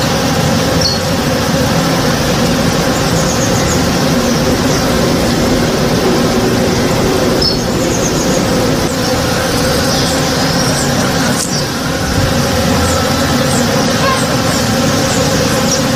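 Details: Morning backyard with honey bees busy at a flowering tree, giving a continuous low drone with even layered tones. Brief high chirps of small birds come and go above it, over a soft distant rumble.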